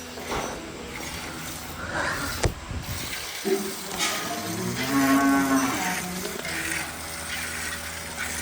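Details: Record milk-producing dairy cow on a modern farm at milking time; a steady, deep, drawn-out moo of about two seconds rises out of constant machine-like hum, with a sharp knock beforehand and men chatting in Punjabi and Hindi.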